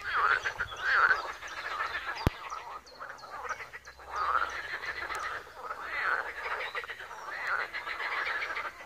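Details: Frogs croaking together at a small pond in Wiry: a dense chorus of rasping, pulsed croaks that swells and fades about once a second, with many callers overlapping and one sharp click partway through.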